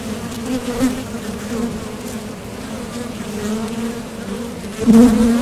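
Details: Honeybees buzzing at the entrance of a top bar hive as they leave for and return from foraging for nectar; a steady low hum with overtones, swelling briefly as a bee passes close near the end.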